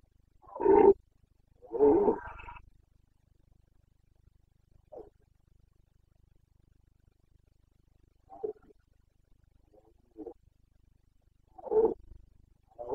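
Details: Carpathian red deer stag roaring in the rut, Bucovina, Romania, 29 September 2022: two loud, rough bellows close together, then scattered short, fainter grunts spread over the following seconds in a quiet setting.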